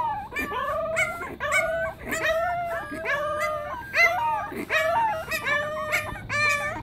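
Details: Several Pembroke Welsh Corgi puppies howling in chorus; layered, quavering high-pitched wails with short yips, each voice bending and falling, overlapping continuously with brief breaths between phrases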